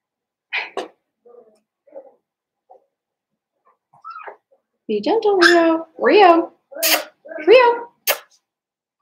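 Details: Litter of five seven-week-old Blenheim Cavalier King Charles Spaniel puppies in an indoor pen; faint scattered squeaks give way to a run of loud whines that slide up and down in pitch.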